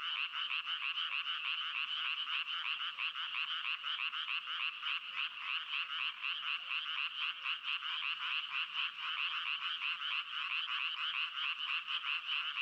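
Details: A frog calls in a continuous trill of fast, grating pulses, the buzzy croaks running together for the whole stretch at an even loudness, with nothing else audible.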